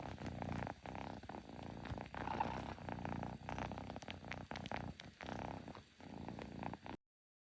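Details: Pet kitten making odd noises again, a steady low rumbling purr throughout with rapid pulsing texture, broken by brief gaps and a few faint clicks.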